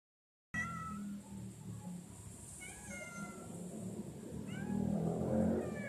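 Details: Cat meowing repeatedly, several short drawn-out mews with gliding harmonic tones, some rising and some falling, spaced a second or two apart over a rumbling background.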